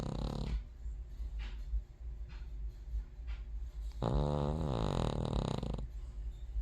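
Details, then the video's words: A sleeping King Charles Terrier snoring: a low rasping breath at the start, faint puffs between, then a long loud buzzy snore with a wavering tone lasting about two seconds. "All-time Snoring Champion🏆, Prime (the King Charles Terrier)"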